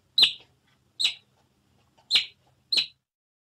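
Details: Otter giving four short, high squeaky chirps, each a quick bright note spaced under a second apart, with near silence between them.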